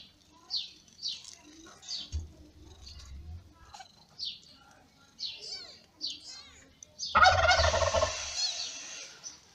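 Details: Newborn May kittens of Lady Ginger, a ginger cat, give short high descending squeaks in quick succession, then a loud rustling burst near the end.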